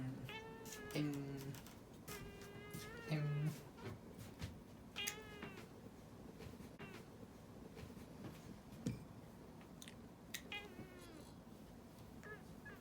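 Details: Pet cat grumbling as its claws are trimmed: a run of four or five plaintive meows, some bending down at the end, separated by pauses, with rustling and handling noises throughout.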